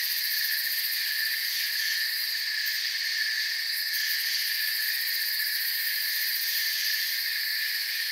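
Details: A steady wall of high cricket trilling fills a forest, several layered bands sounding at once with faint flickers of brief pulsing near the top, evenly loud throughout.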